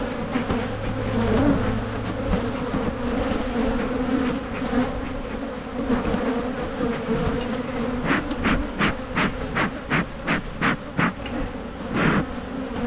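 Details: Honeybees in a Michigan hive being split to prevent swarming keep up a dense, low, steady hum. Over the last five seconds a run of sharp rhythmic knocks sounds about every half second.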